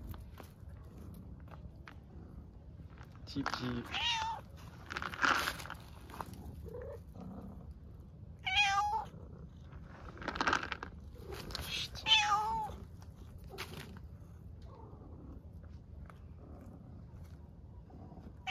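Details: Hungry stray cats on the streets of Istanbul meowing loudly for food and attention: several short rising-falling meows between 3 and 13 seconds, mixed with a woman speaking Turkish softly and light street noise.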